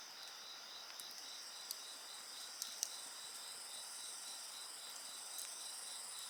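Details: Steady insect song with a quick pulsing trill and sustained high-pitched ringing layers. Scattered snaps from a bonfire sound now and then.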